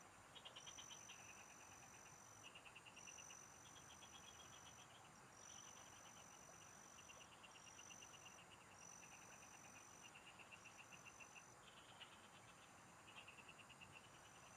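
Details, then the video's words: Numerous frogs calling in open fields where someone is fishing: rows of rapid pulsed rattles, each lasting about a second and following one another closely, beneath a recurring high-pitched whine and a continuous soft background hiss. "MGA huni Ng MGA Palaka SA bukid| Relaxing Frog Singing"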